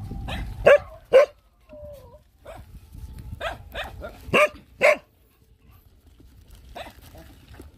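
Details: Hungry dog among many poor dogs and nursing puppies being fed gives short, sharp barks and yelps in irregular bursts. There are about nine over eight seconds, the loudest in pairs near the start and middle, with a brief thin whine between them.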